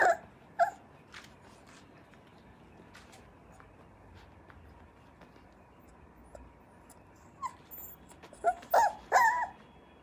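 A Cocker Spaniel puppy whines in short, high, nasal bursts separated by a long quiet gap.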